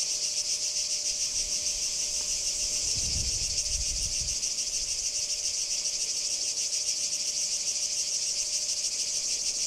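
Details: Kardamyli singing cicada, 2013: unbroken shrill grating buzz, finely pulsed and steady in loudness, with a short low rumble early on and a faint constant tone.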